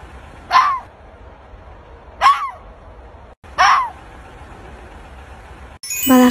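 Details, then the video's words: Fox yelping or whining: three short, sharp calls with bent, rising-falling tones, spaced about one and a half seconds apart over faint background hiss, with a human voice starting at the very end. "түлкі. Түлкі шәуілдейді, немесе қыңсылайды. Балақай,"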